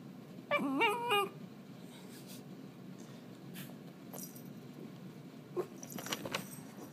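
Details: Pippa, an eight-month-old Shiba Inu filmed 4.10.12, answers a command to speak with one wavering, warbling cry lasting under a second, followed by quiet room noise and faint scattered clicks.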